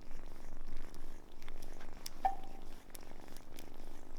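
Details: Grown cat Samson, rescued as a kitten from a car in for repairs, purring in a low throaty rumble with breath-paced swells roughly every second, plus a brief faint tone midway.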